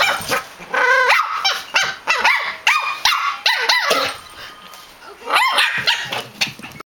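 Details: Two pet dogs chatting with each other through rapid, overlapping barks in irregular bursts, several bending up and down in pitch, with a quieter gap of softer sounds before a final flurry of barks.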